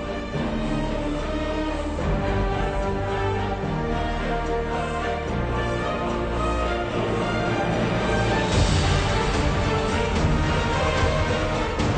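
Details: Continuous instrumental theme music with a driving rhythm and dense layered tones, and no animal voices.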